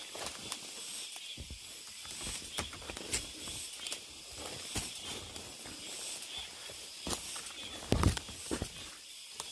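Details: Cicada drone in a deep mountain forest: an even, hissing high buzz runs throughout, with frequent heavier footsteps and one louder thud near the end.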